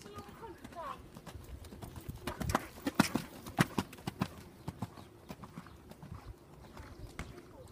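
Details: Welsh Cob being ridden: sharp hoof strikes in a steady clip-clop, loudest in the middle then fading, roughly a hundred beats a minute, with people talking throughout.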